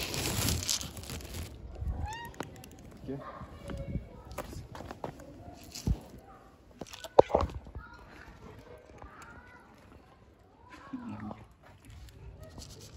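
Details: Kittens playing and being given food give short, arched, tonal meows at scattered moments. A person talks in Turkish between the calls, with handling and rustling noises.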